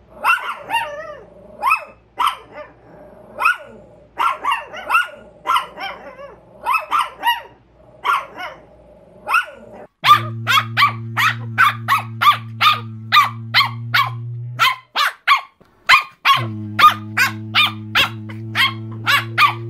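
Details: Rapid, high-pitched Chihuahua yapping, short barks in quick runs of two to four, becoming a steady fast string later, with a constant low electrical hum beneath much of the second half.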